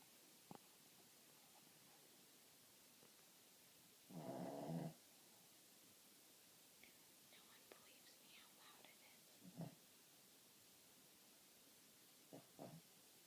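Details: Jasper, a pet dog, snoring loudly while asleep: one harsh, rasping, buzzy snore of about a second stands out midway, with faint clicks and quiet rustles around it in a still room.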